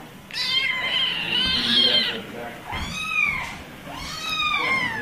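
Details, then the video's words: Kittens meowing: three high, thin, drawn-out cries, the first long and wavering, the next two shorter and arched, with a faint low background rumble. "Kittens Meowing Compilation"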